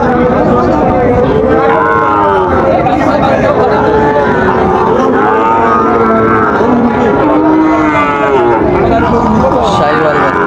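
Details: Sahiwal bull calves at the start of trading at Raniganj cattle market, Dinajpur, on 30 September 2024: long, drawn-out moos rising and falling, several overlapping, over a steady din of crowd chatter and haggling voices.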